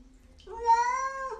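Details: Pet cat from a talking-cat compilation letting out a single rising, sustained meow, clear and strong, in a quiet indoor setting.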